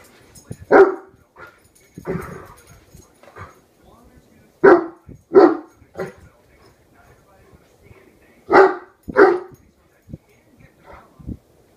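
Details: A one-year-old Great Dane named Horton barks at a hairbrush to defend his family: loud barks in pairs, with quieter grumbles and huffs in the pauses.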